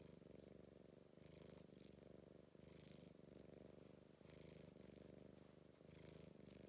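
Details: British Blue Shorthair cat being affectionate and soppy, purring steadily: a deep continuous rumbling throb with regular in-and-out breath cycles, slight hiss on each inhale, close and indoors.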